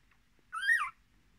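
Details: Miniature Australian Shepherd puppy from a litter of six, with their mother, born 10 March 2020; a single high squeal lasting about half a second that rises, then falls, with bright overtones, against a quiet background.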